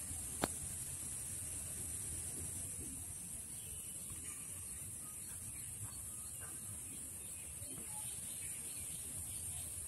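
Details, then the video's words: An Indian cicada (Huechys incarnata testacea) gives a steady, very high-pitched shrill that holds without a break. "Indian Cicada shrilling sound (Huechys incarnata testacea)"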